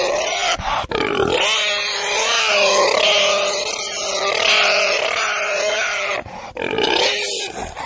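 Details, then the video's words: Pig sounds fill the recording with an unbroken stretch of layered, harmonic squeals and grunts, rising and falling in loudness, with short dips around the first and sixth seconds. "Domuz sesi🐷Pig's voice🐖Schweinsstimme🐷Donuz səsi🐖豬的聲音🐷la voix du cochon"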